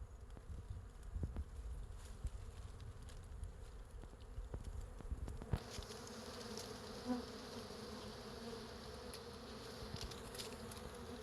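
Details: Bees massed on a wild hive suspended from a branch in natural woodland; a continuous buzzing hum that brightens and thickens halfway through, with a single close bee's tone briefly standing out near seven seconds.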